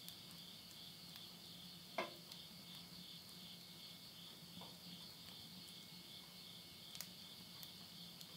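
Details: Insect voices at midnight, end of summer 2020, Tottori, Japan, heard beside a wood-burning stove: a constant shrill trilling drone, one loud crack of firewood near two seconds, lighter crackles later, and a low background hum.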